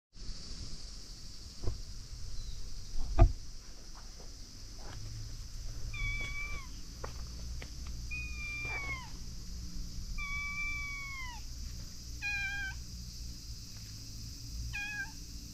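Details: A cat hiding under a bridge, called out and coming over to be petted, gives a series of clear meows, some short and some drawn out with a falling end, spaced a second or two apart over steady low outdoor rumble and faint tapping.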